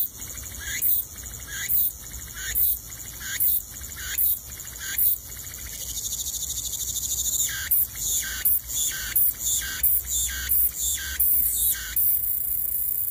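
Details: Cicadas in the wild give loud, hissing buzzes in rapid bursts, each under a second. Midway the pulses merge into a steadier shrill drone, with short bursts still breaking through.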